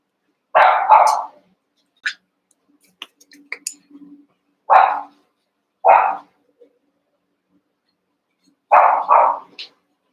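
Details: Cavalier King Charles Spaniel puppies, eight sharing a pen and playing together, give short, bright, high-pitched barks, some in quick doubled pairs, spaced irregularly over about ten seconds, with small scuffling noises and soft yips between them.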